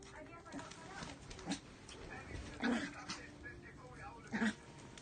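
A Miniature Pinscher gives two short, sharp barks a couple of seconds apart, with voices in the background.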